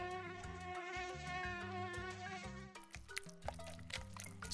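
A mosquito's thin, steady whine, a high hum layered with even overtones.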